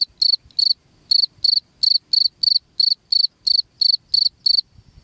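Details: Cricket sound played to repel rats from a house: sharp, high, pulsed chirps in short bursts, often in pairs, about fourteen bursts in five seconds with brief silent gaps, over faint low rustling.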